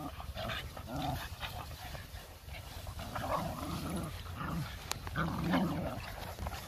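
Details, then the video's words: Playing Boston Terriers, four pet dogs including puppies, give rumbling growls and grumbling whines in uneven bursts about once a second, with background rustling. "My 4 Boston Terriers Playing"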